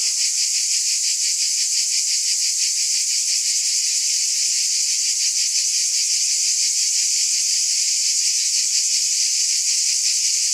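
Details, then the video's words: Cicadas in a dense chorus: a steady, high, hissing buzz with a faint fast pulsing throughout, unbroken and even in loudness, with no other clear sounds. "Mmm! Scintillating Cicadas 1 hour White Noise"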